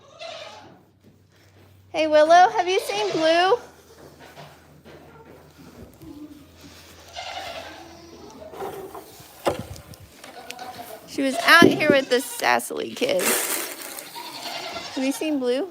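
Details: Goat at The Willful Goat Farm & Home calling during a live broadcast. Quavering bleats come in short bursts near the start, middle and end, mixed with speech, indoor clatter and a low hum.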